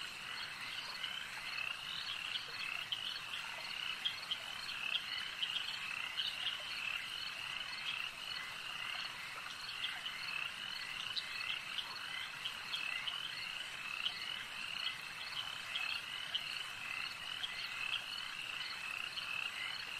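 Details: Frogs croaking at a lake in a long, continuous chorus: rapid, high, rattling calls repeat densely throughout, with frequent brief louder pulses and an even, unchanging background.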